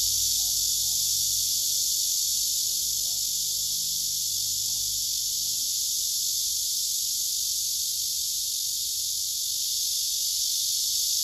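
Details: Several cicadas gathered on a tree trunk, males singing with wings spread and abdomens raised. A loud, continuous, buzzing drone holds steady, with a faint low murmur in the first few seconds.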